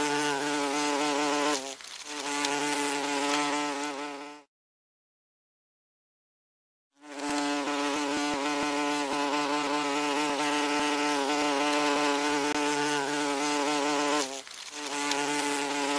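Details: A common wasp (Vespula vulgaris) gives a steady, low, droning buzz, rich in overtones, broken once by a brief silence.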